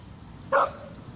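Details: American Pit Bull Terrier named Dragon during a command and obedience training session: one short, sharp, single bark standing out over a quiet low hum.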